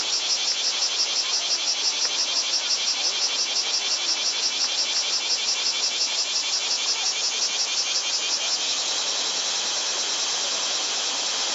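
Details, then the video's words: Cicadas calling in Japan in summer 2014, loudness stated above 120 dB, Panasonic Lumix TZ20/22 recording: a piercing, rapidly pulsating high drone. Its throb smooths into a more even hiss near the end. "Cicada sound in japanese summer over 120db!"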